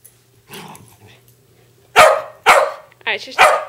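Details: West Highland White Terriers at play in a tug of war game indoors; three loud, sharp barks about half a second apart after a quieter stretch, with a brief higher yip between the last two.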